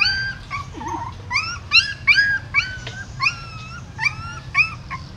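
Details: Newborn puppies and their mother dog at a stupa hole in a Siem Reap pagoda as she carries them off. Repeated thin, bowed whimpers about every half second, some longer and level, over a low hum.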